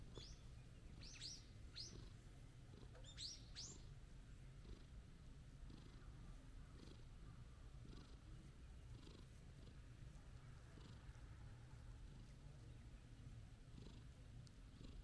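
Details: Gentle orange-and-white stray cat being stroked, giving a continuous low purr; a few short high bird chirps sound early on over soft outdoor ambience.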